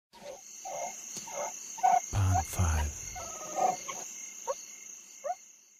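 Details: Meerkat (Suricata suricatta) gives short, nasal chirping calls repeated about every half second, with a steady high hum behind.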